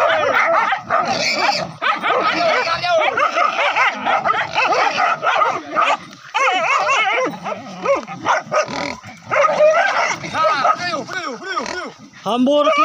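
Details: Pack of village hunting dogs baying during a wild boar chase from forest to river, hunters using dogs and spears: continuous frantic barking and shrill rising-falling yelps from several dogs, overlapping with scarcely a pause, a brief lull midway.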